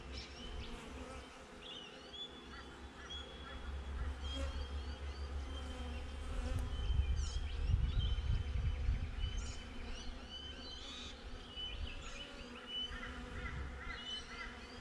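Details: Low droning hum of honey bees at their hive, captured on a GoPro set outside; the buzz grows louder midway, then eases, with scattered high bird twitters overhead.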